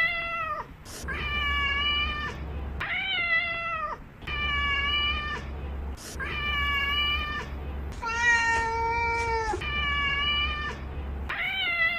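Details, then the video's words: Real cat sounds: a domestic cat utters six long, tonal meows roughly every two seconds, one lower and smoother than the rest, with a low droning hum beneath several calls. "Real Cat Sounds"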